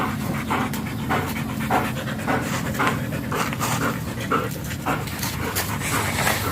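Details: German Shepherd panting during a stud session at Nalsian, Manaoag, Pangasinan: irregular breathy huffs, roughly two per second, over a constant low hum of room noise.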